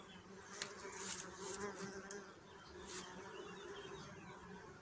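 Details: Bee buzzing with a steady low hum that holds one droning pitch and a fainter overtone, swelling and fading slightly across the whole stretch, with a few sharp clicks and a soft background hiss.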